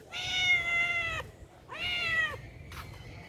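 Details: Hungry cat at a pagoda asking for food: two long, clear, level meows about a second each, spaced closely, followed by a short faint third call; quiet background hum.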